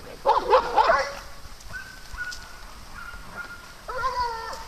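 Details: {'text': 'Playing dogs on a farm: a rough, loud double bark opens, followed by thin, drawn-out whines and a final harmonic yelp.'}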